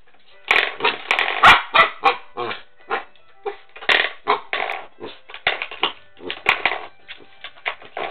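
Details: A corgi puppy barks in quick, high, uneven yips, about three each second, while attacking a hallway doorstop.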